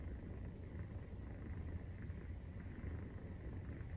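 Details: Continuous purr during nursing from a Maine Coon kitten 43 days old, a deep rolling vibration that swells and eases slightly, otherwise unbroken, with soft hiss behind.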